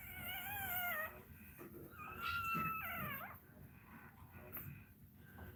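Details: A Cane Corso cries during another dog's labour, giving two drawn-out, high, quavering whines about a second long each, the second sliding down at its end, over a quiet room background.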